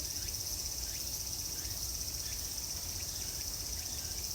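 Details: Summer cicadas singing at Tokyo's Meiji Jingu, their dense high-pitched hiss continuous and unbroken, with scattered soft chirps and a low background hum beneath.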